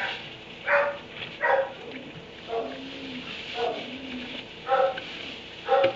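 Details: Barn kennel dog at 3am barking in spaced single woofs, roughly one per second, short and harsh with a faint whine between them, against constant low hum.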